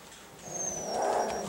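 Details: Girardelli, a feisty chocolate Miniature Schnauzer puppy in a litter learning to express with sounds, gives a brief rising growl that builds in loudness after half a second, with a thin steady high tone behind it.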